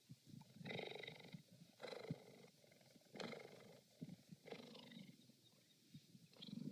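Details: Purring cheetah giving throaty, vibrating bursts about once a second, each a rough buzzy swell with quieter gaps between.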